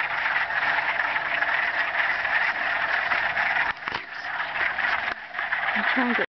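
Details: Many frogs call at once in a marsh at Mills Block Forest, Thunder Bay, in a continuous, high-pitched trilling chorus of mating calls that barely varies, blended into one unbroken wall of sound.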